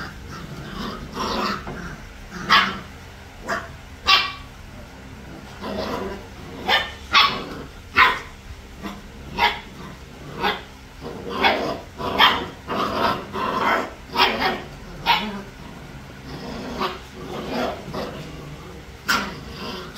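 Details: Three-week-old puppies romping together, yapping in a busy, irregular string of high, short barks and squeals, dozens in quick succession, some overlapping, with brief pauses between bursts.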